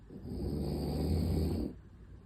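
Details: French Bulldog named Unita sleeping belly-up beside a toy gorilla, snoring through the night: one long, low, rumbling rasp lasting about a second and a half, then quiet room noise.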